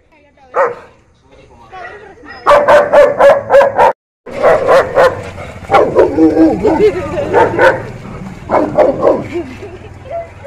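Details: St. Bernard dog barking in quick runs of sharp, harmonic bursts, about four per second, broken by short pauses, with a human voice mixed in.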